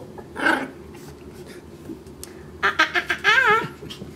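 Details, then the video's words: Maltese puppy chewing on a rug indoors in Plainfield/Naperville, Illinois, recorded 04-10-14: one sharp yap, a pause, then a quick run of short yips and a wavering whiny yelp, with a person speaking just before. "Cute little Maltese puppy dog barking and chewing on rug"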